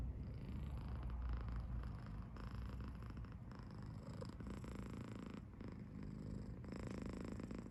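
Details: Happy purring from Potty, a male British Shorthair kitten aged seven months in Tokyo; a snore-like low rumble pulses about four times a second, steady and unbroken across the whole stretch.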